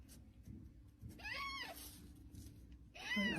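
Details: A cat gives two rising-then-falling meows, one just after the first second and another at the end, over a low steady hum.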